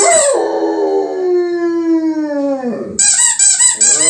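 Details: A German Shepherd, set off by a squeaky toy, "sings" with a long, sliding howl, followed by bursts of high squeaking from the toy.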